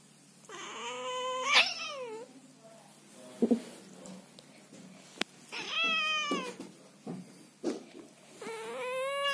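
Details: A female Scottish Fold cat, visiting her owner's bed at night but not wanting to be touched or hugged, scolds him with long, drawn-out meows that rise and then sag.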